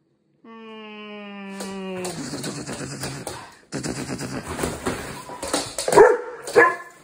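A Weimaraner puppy gives a drawn-out whine, then a rapid string of harsh, chattering barks.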